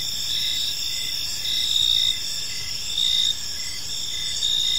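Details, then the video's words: Park crickets at evening, a continuous high shimmering trill layered with brief pulsed chirps every second or so, a louder surge midway, over gentle low background noise. "Park Serenade: Cricket Sounds in a Peaceful Park | Evening Ambience"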